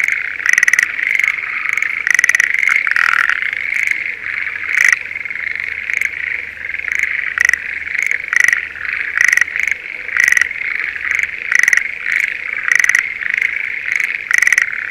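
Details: Schlegel's green tree frogs in breeding season give short, rattling chirps in quick bursts over a steady chorus in a spring rice paddy near Sendai, Japan.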